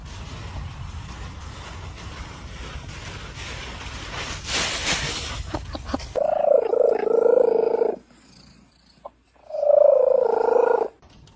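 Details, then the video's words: Domestic cat in a humorous compilation: a noisy, rumbling first half gives way to two long, drawn-out, wavering yowls, each about two seconds, separated by a brief pause. "Very Funny Cat Sounds & Behaviors"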